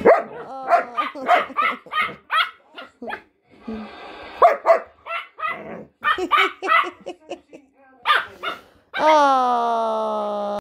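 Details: Pet dogs, a German Shepherd and a Jack Russell cross Chihuahua, 'talking' in their own language: quick runs of short yappy barks and yips, a brief rough buzzy stretch, then one long sustained howl that dips and holds steady.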